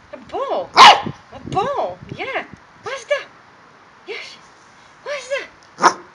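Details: A male corgi playing with balls at home in Milton Keynes, UK, gives a run of rising-and-falling whiny yips mixed with a few harsh barks, roughly one call every half second, then sparser calls.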